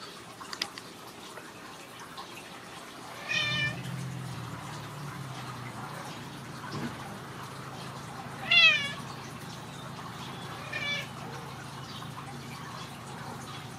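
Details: Ragdoll kittens raised in a home cattery in central Kansas, playing indoors: a few short high-pitched mews with rising and falling tones, spaced several seconds apart, over a low steady hum.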